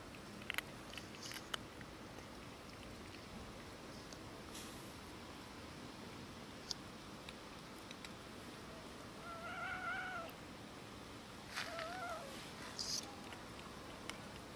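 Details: Cats and a kitten quarrelling over food: two short, tonal meows come late in the clip, a few seconds apart, over steady low background noise with scattered clicks and light chewing-like ticks.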